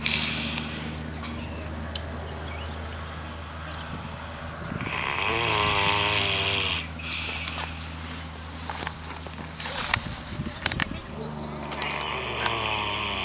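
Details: A pig on a farm in New Zealand snoring loudly: rough, rasping breaths in uneven bursts, with a louder drawn-out snore near the middle and scattered clicks and rustles around it.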